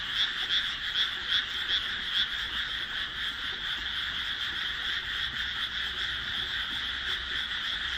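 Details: Frogs calling together as darkness falls over a rice paddy set among houses, just planted on 1 June 2012; distinct loud croaks pulse quickly in the first two seconds, then a continuous massed trill carries on.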